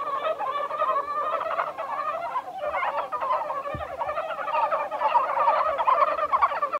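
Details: At Kawaguchiko Field Center in Japan on 1 March 2020, a crowd of Japanese brown frogs produces an unbroken chattering chorus of short, rolling croaks, with one sharp low knock midway.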